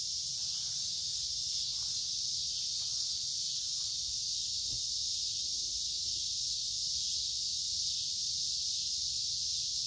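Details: Unbroken shrill drone of a chorus of cicadas in creekside woods, midsummer, warm and humid weather; the buzz holds steady throughout, with a few faint clicks below.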